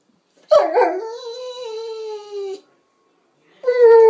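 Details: Sanza, a pet Presa Canario and Rottweiler cross, young female, gives a rough start that settles into a long steady tonal whine-howl lasting about two seconds, then after a pause begins another clear, even howl.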